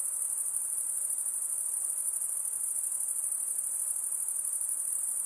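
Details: Unbroken high, thin insect whine near a lake, an even shimmering buzz sustained for the whole stretch, with nothing else audible.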